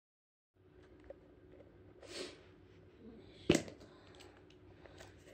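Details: Quiet indoor rustling and handling noises, a soft brushing swish, then a sharp click midway.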